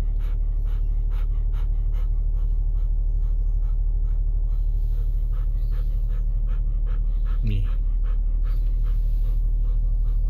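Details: Golden Retriever, excited and happy to be going out in the car, panting quickly and steadily at about three breaths per second, with one short rising whine partway through, over a constant low engine rumble inside the vehicle.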